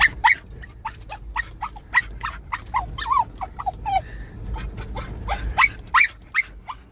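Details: Hunting Russian Spaniel chasing deer: sharp high-pitched yelps and barks in rapid succession, a few drawn-out whining notes sliding down, then another flurry of quick excited barks.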